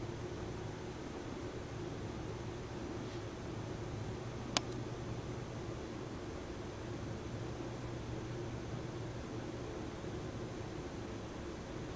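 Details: Steady low indoor hum with faint rustling and a single sharp click near the middle; no animal voice heard.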